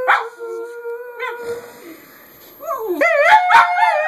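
A Boston Terrier mix howls in sustained, wavering tones that rise and bend near the end.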